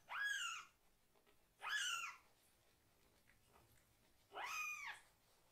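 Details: Baby foster kitten, still reliant on toilet assistance, meows crossly while being washed below the waist; three loud, downward-arching cries, well spaced about two seconds apart, with quiet room tone between.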